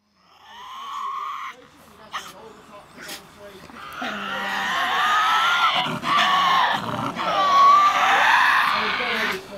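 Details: A young, healthy Tasmanian devil at a wildlife park near Hobart, Tasmania, gives harsh, rasping growls that build into a loud, grating screech.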